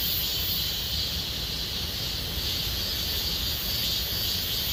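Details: Summer chorus of cicadas in Gomsol Nuri Forest, Sihwa district, a continuous shrill hiss of overlapping buzzing voices, even and unwavering, with a faint low rumble underneath.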